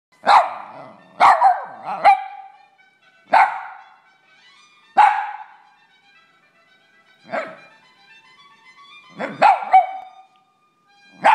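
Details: Several pet dogs barking and howling in reaction to a television show's theme music; sharp harmonic barks and yelps come in bursts, some paired, with the theme's sustained musical notes playing underneath.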